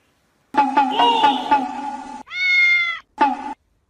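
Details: Cat from a funny pets compilation. A voiced, wavering cry is followed by a clear, drawn-out meow with rich harmonics, then a short final meow. Music plays behind it.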